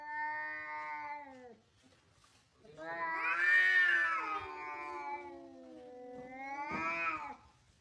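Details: Angry cat giving long, drawn-out wailing yowls: a steady low moan, a pause, then a louder rising-and-falling howl that trails into a wavering moan and ends with a sharp upward swell.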